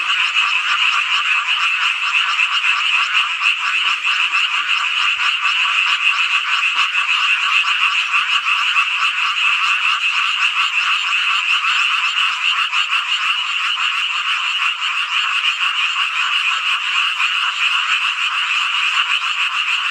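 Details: Frogs in a midsummer night chorus at Hongcheon, Gangwon Province, South Korea; a dense, unbroken wall of high trilling croaks holds steady throughout with even loudness and no other sounds.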